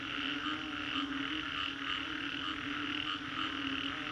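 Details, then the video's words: Frogs calling after a storm in Singapore's Green Corridor, a dense unbroken chorus of many overlapping croaks with a steady low hum and bright layered trilling higher up, swelling slightly around one second and again near three seconds. "Frogs after Storm"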